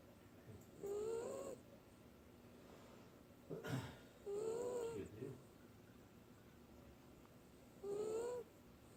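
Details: Sleeping Dachshund snoring hard: three drawn-out, slightly rising nasal tones about a second long, spaced several seconds apart with a softer breath between, while people talk about vacuum attachments in the background.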